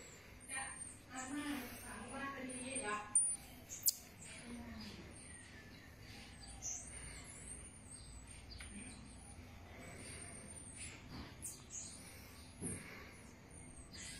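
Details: Baby marmoset named Ti with its family: thin, very high chirps and short downward-sweeping twitters repeat steadily throughout, quiet overall, with a few soft knocks and a low background murmur.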